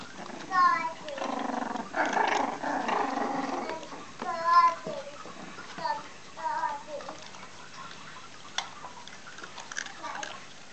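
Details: Caboose, a three-week-old female Jack Russell Terrier puppy still with her mother and siblings, play-fighting indoors: high, whiny squeals with bending pitch, a raspy growly stretch in the middle, later short yelps, a person talking in the background.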